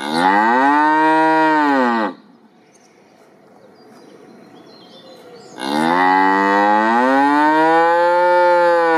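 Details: Two long, loud, harmonically rich ox bellows, each lasting over two seconds and separated by a quiet gap of about three and a half seconds. The pitch holds steady, then bends down at the end of each call.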